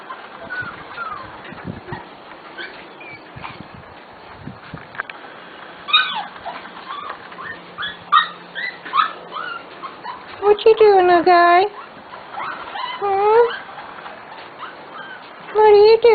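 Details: Corgi puppies from a special litter almost six weeks old, indoors, giving high, wavering whines and short yips in bursts late in the recording, with a woman talking to them throughout.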